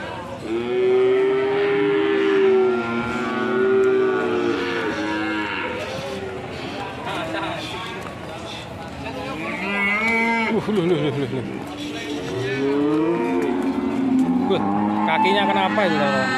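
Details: Several fierce cows bellowing in turn, long rising-and-falling moos overlapping one another, some loud and drawn out, with scattered clatter and faint voices in the background.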